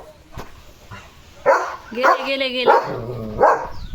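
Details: Leo the German Shepherd plays with a coronavirus-shaped squeaky ball. A human voice talks and draws out a tone while a few sharp barks break in.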